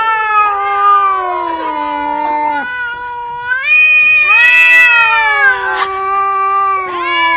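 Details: Domestic cat from a compilation of funny cats and kittens, voicing a string of loud, whining meows that bend upward then slide down, a brief pause midway before another strong rising yowl.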